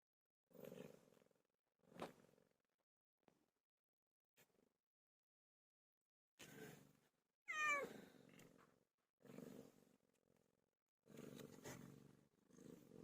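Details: Pilo, a pet cat, giving birth: a series of short, rough, strained cries about a second long, broken by pauses, with one higher, rising meow midway and quiet gaps between bursts.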